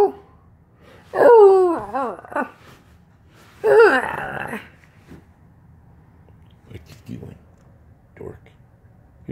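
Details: Siberian husky indoors vocalizing to demand its owner get out of bed, giving two wavering, yodel-like bursts that bend up and down in pitch, followed by quieter scattered sounds and faint human voice.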